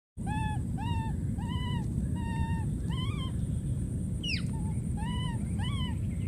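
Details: Wild baby monkey screaming and calling for his friend: a steady run of short, arched, tonal cries that rise then fall, about two per second, with one sharper downward squeal midway, over a constant low rumble.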